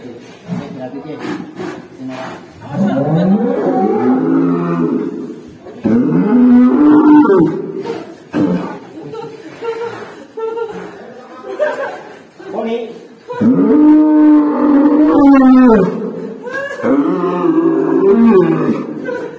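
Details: Black cow making a strange sound: a series of drawn-out, arched, harmonic moos, some long and level, others short, separated by pauses, with voices talking in between.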